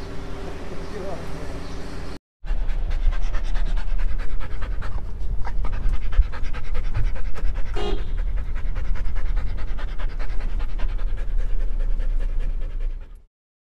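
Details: Female Rottweiler panting during a vet visit for vaccine shots given for allergy problems and a rash: fast, steady, breathy huffs, roughly three per second, continuing for about ten seconds after brief talking and a short silence at the start.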